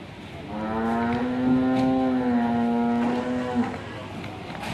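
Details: Angry, raging cow giving a single long, low moo of about three seconds, harmonically rich and nearly level in pitch, swelling slightly midway before ending abruptly, over faint background noise.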